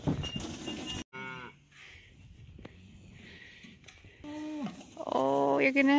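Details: Cows and calves heading out to summer pasture on a farm: short lowing moos at the start, a quiet stretch of rustling, then louder wavering moos building at the end, with a woman speaking to the animals.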